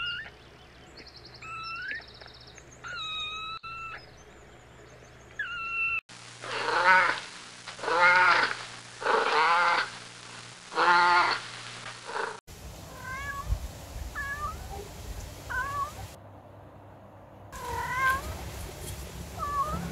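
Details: Kittens playing outside in a garden, running on grass and chasing each other; a spliced run of short pitched meows, some bending up and down, then a louder section of five rough, drawn-out calls, then thin rising mews against steady background hum.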